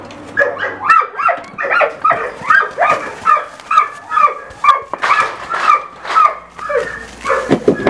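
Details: German Shorthaired Pointer (kurzhaar) carrying a fox over a hurdle during a retrieve: rapid, excited, tonal yelping whines in quick bursts, roughly two per second, rising and falling throughout, with a man's coaxing voice nearby.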